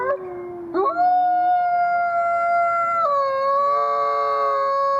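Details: Wolf howling: a single long, smooth tonal howl that starts with a short lower note, then jumps up and holds steady before stepping down slightly near the end. The background is quiet.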